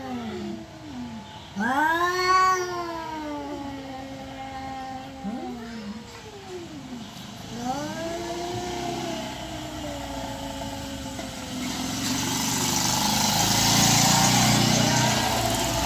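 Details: Domestic cat yowls, possibly courting or fighting, as several short arched howls rise and fall in quick succession, then a long wavering wail; a swelling hiss of passing traffic grows louder toward the end.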